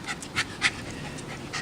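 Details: Pet dog panting during a game of fetch, bringing back things it is sent for: quick, breathy huffs in uneven bursts, with several louder puffs close together and then softer, more spaced breaths.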